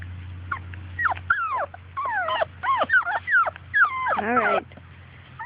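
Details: Litter of Labrador Retriever puppies playing outside and chasing their mother: a rapid string of high, bending whimpers and yelps, each sliding downward, ending in a longer, strained squeal; faint low hum behind.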